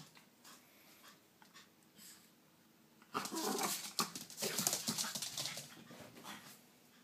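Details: Several dogs playing: quiet at first, then a sudden loud flurry of scuffling, huffing and panting bursts in rapid irregular succession, fading toward the end.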